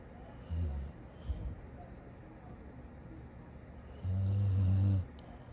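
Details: Dog snoring in a funny pet compilation: a short low snore, a brief snort, then a long, loud, rumbling inhale lasting nearly a second, deep and throaty, against quiet indoor background.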